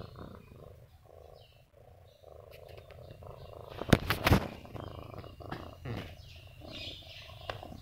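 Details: Kiki, a friendly ten-month-old pet Siamese cat, gives a steady low rumbling purr in pulsing bands, broken by a sharp loud clatter around four seconds, with soft background noise.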